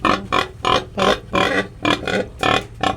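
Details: Domestic sow that has just given birth again, on a pig farm: loud, rough, harmonic grunting squeals come in quick bursts, about seven in three seconds, each short and evenly strong.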